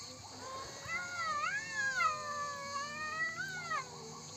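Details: Cats presented as "talking": one long, drawn-out meow of about three seconds, rich in harmonics, wavering up and down in pitch with a rise near the middle before trailing off, over a faint steady background hiss.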